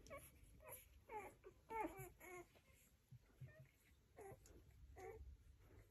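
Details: Rhodesian Ridgeback puppies giving short, high whimpering squeaks and whines in scattered bursts, some sliding in pitch. The calls are quiet, with low background rumble between them.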